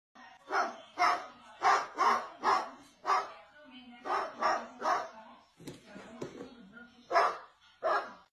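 A dog gives a string of sharp, rough barks, often two or three in fast succession before a short break. Lower murmuring sounds, possibly a person's voice, turn up between some of the runs.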